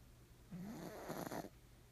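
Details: Nimame, a black pug, snores noisily while asleep; a single drawn-out rattling breath of about a second, starting as a low buzzy tone and ending in fluttering rasps, in a quiet room.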